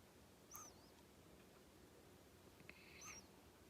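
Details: Kenta, a male pet hedgehog born January 15, 2020, snoring in his sleep: two soft breaths each carry a thin high whistle with a fainter lower tone, about two and a half seconds apart, over a quiet hiss.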